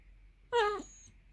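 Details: Basset Hound named Millie, hungry and whining for her dinner indoors: one short tonal whine rising then falling, under half a second, with stacked bright harmonics and a quiet room behind.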